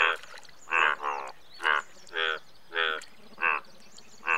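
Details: Indian bullfrog giving loud, short, reedy croaks spaced roughly every 0.6 to 0.9 seconds, some doubled, over quiet background with faint high chirping.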